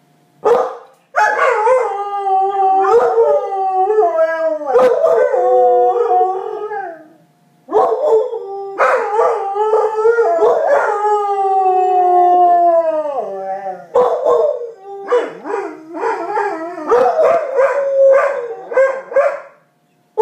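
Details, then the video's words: A pair of dogs trade howls in a vocal exchange, long drawn-out wavering notes with falling endings, several separate bouts with brief silences between, ending in shorter choppy yips. "Howling talking dogs"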